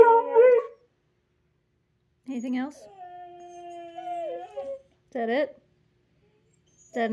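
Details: A Siberian Husky breaks into howling for no reason, drawn-out wavering tones with yodel-like bursts before and after.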